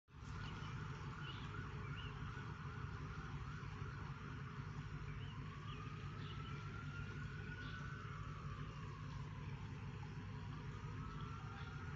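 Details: A distant siren rises and falls over steady low traffic rumble, with no animal voice heard. The wail swells slowly and fades, then returns faintly near the end.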